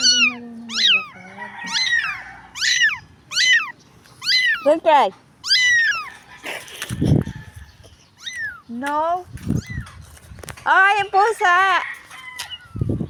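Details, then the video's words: Crying stray kitten from the street, in need of help: a rapid run of high, arched mews, some rising then falling, mixed with a woman talking Filipino and brief handling noises. "POOR CAT CRYING DIRTY STREET STRAY WANTED HELP CAT SAD STORY"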